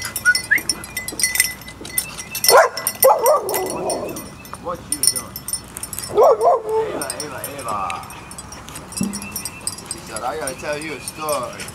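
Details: Puppies at playtime: high whining yips sliding up and down, one burst near the start of the clip and another a few seconds later, with a person talking and soft hiss behind them.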